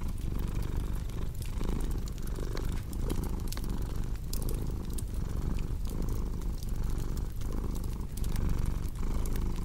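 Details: ['Cat purring beside a crackling fireplace: a dense, low rumbling purr that swells and eases with each breath, roughly every 0.7 seconds, overlaid with sharp pops and snaps from the fire.']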